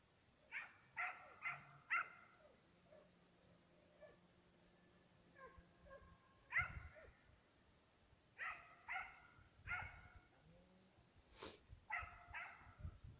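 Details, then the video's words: Two Serbian hounds on a hunting trail after fox and roe deer. Distant, resonant barks come in irregular groups of two to four, roughly two per second at times, with quiet pauses and faint low hum between. "Serbian hound,two dogs on trail(fox & roe deer)"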